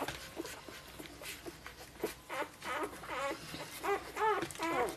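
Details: Five-day-old Golden Retriever puppies from a 2013 litter give a run of high, arched whining squeals that grow louder and closer together toward the end, over soft rustling and shuffling.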